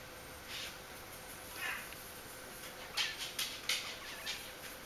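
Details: Bichon Frisé puppies together in their litter at an FCI- and DKK-recognised kennel, giving faint, high, meow-like whimpers in short bursts, thickening into a cluster of squeaks during the last two seconds over a steady background hiss.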